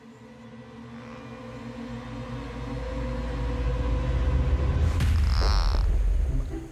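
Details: Eerie music over a deep, swelling rumble, with a sharp burst of sound effects near the five-second mark; no animal voice is heard.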